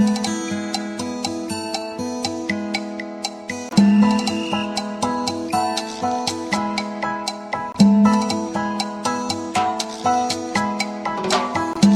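Gentle plucked guitar music plays throughout, with no animal sounds.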